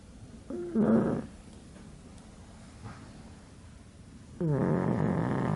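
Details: Sleeping pug, a little overweight at the time, its face folded into creases of flesh, gives two rough, noisy snoring breaths about four seconds apart: a short rasp, then a longer sustained grating exhale, with quiet in between.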